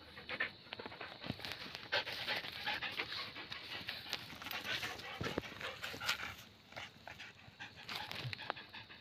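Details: German Shepherd dog panting. Steady, breathy rasping runs through the whole clip with scattered clicks, while a person speaks to it nearby.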